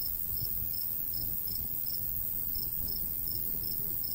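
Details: High, clipped cricket chirps, roughly eleven in four seconds, with a short gap midway, over a light breeze in summer countryside by a golden wheat field.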